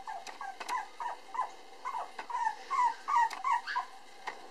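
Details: Timid male Cavapoo puppy, born August 24 and darker than his siblings, whimpering steadily: wavering nasal whines about three per second, some bending down in pitch, with faint tapping clicks behind.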